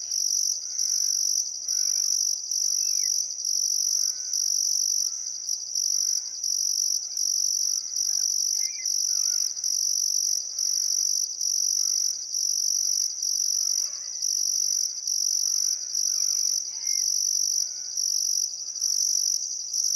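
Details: Crickets chirping on a still summer afternoon at sunset beside the Barcoo River, Welford National Park, Outback Queensland, Australia: a dense high continuous trill in pulsed bursts about once per second, with faint scattered birdcalls beneath.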